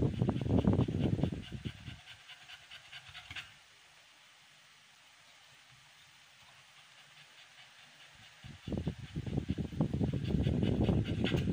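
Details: An American Bully named Amber, in labor on day 56 of her first pregnancy, pants rapidly and breathily for two seconds. A pause of about six near-silent seconds follows, then the heavy panting resumes and builds to the end.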